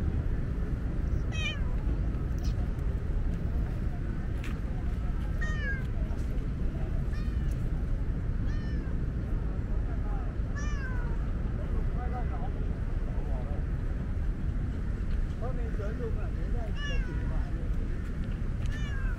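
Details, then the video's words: A talkative female tabby cat, usually shy of petting, meowing on a hot day because she is thirsty; repeated short rising-and-falling meows scattered through steady low outdoor rumble, with some speech. "Very talkative tabby is thirsty."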